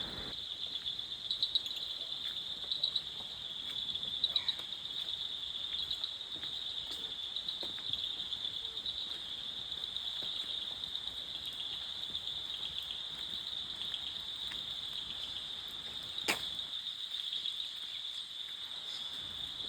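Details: Crickets in the pine forest around a heritage bungalow in Takdah, Darjeeling, in the misty hills: a steady, high, shrill trill with faint pulsing that continues without a break. A single sharp click is heard near the end.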